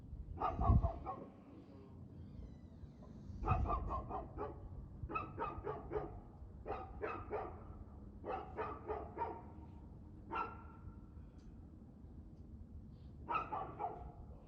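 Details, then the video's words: Dog barking in the evening, 6:02 pm on 6 February 2024: clusters of sharp barks in bursts of two to four, roughly every two to three seconds, with low rumbling thumps near the start. "Barking Dog"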